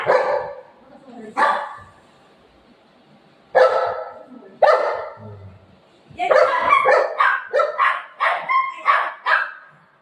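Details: Golden retriever playing with its owner at home, letting out single loud barks spaced a couple of seconds apart, then a quick run of rapid barks, between quiet gaps.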